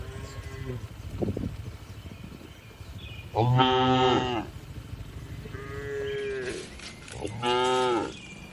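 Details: Gentle tame cattle in a spacious livestock barn: a series of moos, soft lows alternating with two loud strained bellows, roughly every two seconds, amid steady low background noise.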